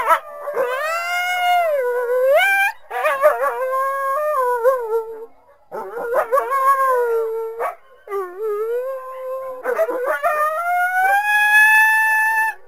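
A coyote gives wavering, high howls broken by quick yipping bursts.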